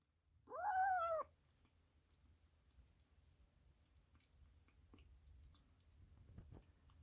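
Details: Korean Shorthair kitten making the sound kittens give only when young, because the food tastes so good: a single clear tonal mew, rising then falling, under a second long, followed by quiet clicks and faint chewing.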